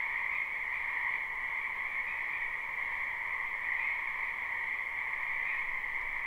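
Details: A live spring recording from a wetland full of frogs: their massed croaking runs as an even, buzzing wall of sound in two pitch layers, never breaking, with only soft background hiss beneath.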